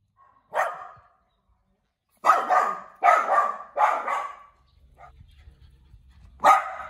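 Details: A small, cute dog barks in the house. One sharp yap is followed after a pause by three rapid, rough barks in a row, then a fainter low murmur and a final loud bark.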